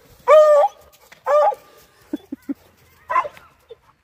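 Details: A female Redbone Coonhound works a wood pile in winter, digging after a suspected rodent, giving loud, drawn-out, ringing barks about once a second with short low knocks between.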